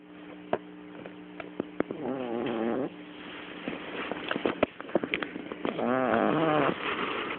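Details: Domestic cat sleeping on a person's lap, recorded on a mobile phone: two wavering, buzzy tonal snores roughly a second long, about four seconds apart, with scattered clicks and handling noise in between.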